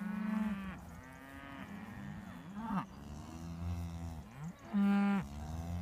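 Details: Traditional Beef Shorthorn cattle, a herd coming over in the morning to say good morning; several overlapping deep, drawn-out moos with rich harmonics, some wavering and bending in pitch, plus one loud steady bellow near the end.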